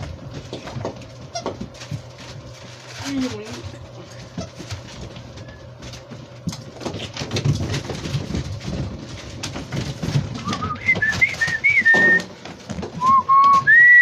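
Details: Seven-week-old Labrador Retriever puppies play in a playroom. Scuffling and clicking fill the first part. Thin, high whines rise and fall toward the end, growing louder near the close. A person's voice is heard.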